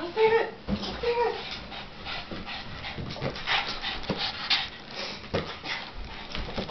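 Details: Shirley, a pet dog, frustrated while watching a giant balloon being hit around, gives high whining whimpers that waver in pitch, mixed with a person talking and thumps of the balloon.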